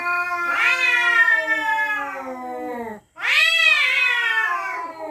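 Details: Night-time territorial yowling of cats facing off. Two loud, strained howls are heard. Each leaps upward, then slowly slides down in pitch over a couple of seconds, split by a sharp momentary gap.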